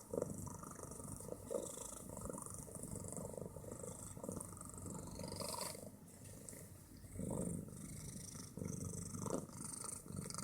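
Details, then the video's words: Loud, coarse purring from Bit, a fat female pet cat, rises and dips with each breath in an uneven rhythm. The low vibrating drone continues throughout, with occasional soft clicks and fabric rustling close by. "Fat cat - from snores to purrs"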